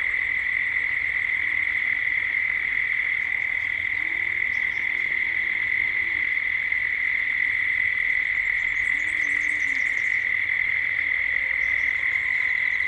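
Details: Dusk ambience in Gippsland, Australia, dominated by cicadas: a continuous, level humming drone, with scattered faint high chirps and soft low wavering tones in the background.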